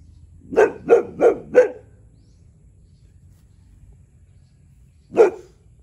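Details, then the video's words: Territorial barking from Tyrion, a one-year-old Boxer, aimed at a neighbour's cow: four rapid, evenly spaced barks, a silence of several seconds, then one more bark. "Boxer dog barking telling cow to shut up"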